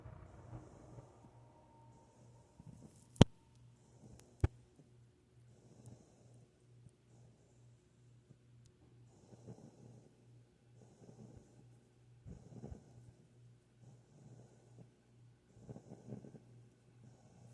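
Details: A female Rottweiler puppy, fast asleep after being picked up and held, snores softly, with low, rough breaths returning roughly every second or so.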